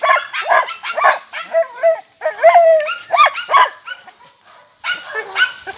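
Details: Jagdterriers, described as rather nervous, giving a run of sharp, yelping barks and whines in quick bursts, several dogs overlapping, with short pauses and high, bending yips between the barks.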